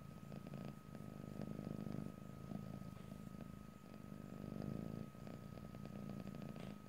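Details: Close stereo recording of a pet cat purring, no talking: continuous deep vibrating rumble pulsing with each breath, a faint steady high tone running underneath throughout.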